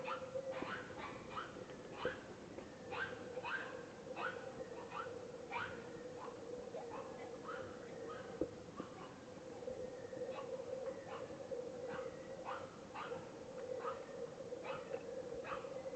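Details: Wild boars in the Peruvian rainforest, recorded in December 2010, squeal in short, harsh, repeated bursts over a steady droning hum.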